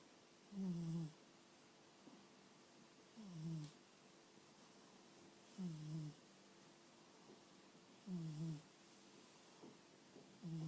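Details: A fat domestic cat snoring while asleep: low, throaty snores with a slight falling tone, each lasting about half a second and recurring roughly every two and a half seconds, separated by near silence in a quiet room.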